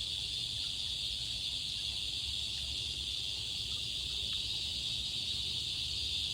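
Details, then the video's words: Cicadas singing in summer: a steady, dense high-pitched buzzing drone without breaks, with a fainter shrill band above it and a low rumble of background noise. "Cicadas singing"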